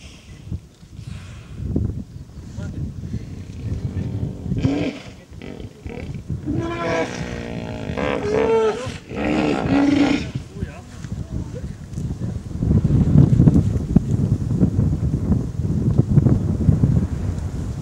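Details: Hippopotamuses at the Mara River give deep, rumbling grunts that build into a series of throaty honks.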